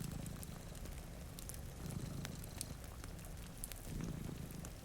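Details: Two domestic cats sleeping in front of a rainy window purr in a low, steady rumble that swells and eases in slow breaths, under sharp pops of a crackling fireplace and a soft hiss of rain.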